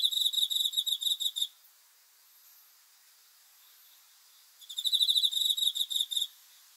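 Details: High, metallic cricket chirps at night in quick pulsed trains; one burst opens, a three-second lull follows with only soft background hiss, then another rapid chirping sequence.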